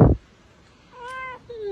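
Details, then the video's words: Domestic cat indoors, woken from a nap and about to be offered treats, answers with a drawn-out harmonic meow after a sharp knock, then adds a shorter, falling second mew. "talking cats"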